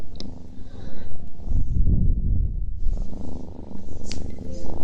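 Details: Cat purring and eating, recorded close up for relaxation; a steady deep rumbling purr with soft chewing and crackling sounds throughout.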